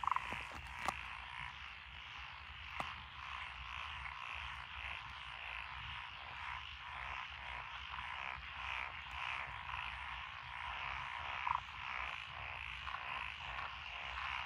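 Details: Lotus rice paddies by a rural road in Echizen, Fukui Prefecture, Japan, recorded 12 June 2021: a thick, unbroken chorus of frogs, many rapid rasping croaks overlapping, with a few sharp clicks and one brief louder croak near the end.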